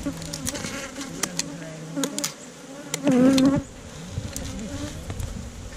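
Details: Bees at a wild hive in a hollow tree trunk being harvested for honey: a quiet scene of faint knocks and taps, broken by one brief, loud, wavering buzz as a bee passes close.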